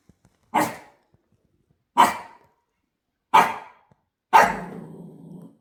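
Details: Barking Shiba Inu, a pet dog, heard at 6 a.m.: four sharp, loud single barks spaced about one to one and a half seconds apart, the last trailing into a short low growl.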